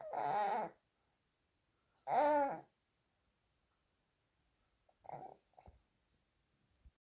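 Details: Bedtime noises from Holden, a pet dog, in a quiet room: two short, wavering moans, the second rising then falling, followed by soft faint snuffles and rustles.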